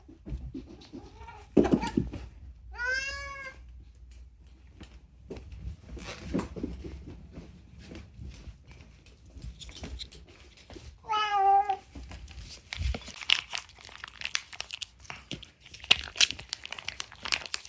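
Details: Unagi, a male rescued pet cat, talking indoors with mostly food-related meows: two clear, bending, wavering meows, the first near three seconds and the second near eleven, between stretches of soft shuffling and room noise.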